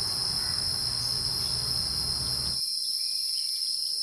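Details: Wild insect heard as a steady, high, unbroken shrill tone like a cricket. A low rumbling background noise runs underneath and cuts off abruptly partway through, leaving the shrill note alone.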